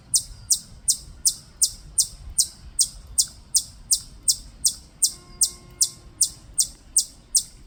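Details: Rapid, evenly spaced high chirps, nearly three each second, from a Korean native chipmunk at Bulguksa in Gyeongju; a faint tonal hum joins briefly near the end.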